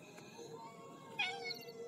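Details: Village stray cats gathered for a night-time feeding routine; one short meow that rises brightly near the end, thin and harmonic, over a quiet low hum.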